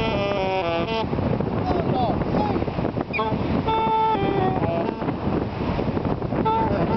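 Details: Dogs at the beach at Taipa, far north New Zealand, on a winter's day howl together in drawn-out, wavering tones over steady wind and surf noise.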